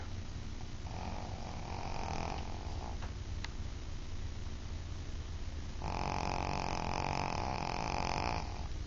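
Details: Sleeping female Shih Tzu snoring: one rough nasal snore of about a second and a half, a quieter stretch with a few faint clicks, then a longer, louder rattling snore near the end.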